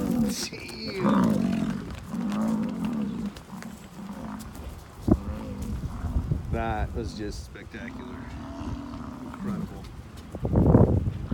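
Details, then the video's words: American bison during the rut in Hayden Valley, Yellowstone National Park: deep, drawn-out rumbling bellows repeated several times, low and rolling, with a sharp knock midway and a loud burst near the end. "Incredible Buffalo footage - The Rut"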